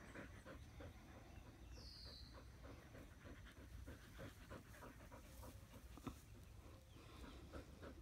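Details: Australian Shepherds resting in the shade under a willow tree outdoors; steady rapid panting breaths, soft and rhythmic, over low wind rumble with a brief high bird chirp.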